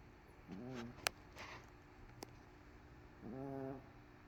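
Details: MoMo, a dog asleep on a couch following a rough day, produces two low, wavering snores nearly three seconds apart, with a couple of sharp clicks and light rustling in between.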